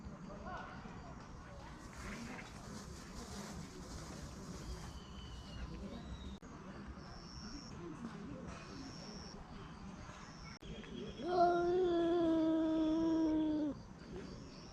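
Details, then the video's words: Stray cat guarding its food, giving a steady tonal moan of about two and a half seconds late in the recording, slightly falling in pitch, with faint background hiss and murmur before it. "밥 뺏기지 않으려는 길고양이의 꿍얼꿍얼 귀여운소리다옹"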